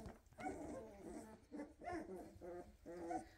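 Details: Litter of 2.5-week-old Weimaraner puppies, silver and blue, nursing well and asking their mother to nurse; a run of whiny, harmonic whimpers repeated about every half second, rising and falling in pitch.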